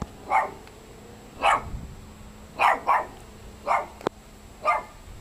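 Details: A Great Dane hiding under a house in Compton, California barks in single, fairly deep woofs about once a second, with a short double bark midway, frightening the children there.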